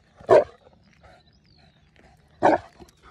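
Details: Saint Bernard on guard over its owner gives two single deep, explosive barks about two seconds apart, with faint background sounds between them.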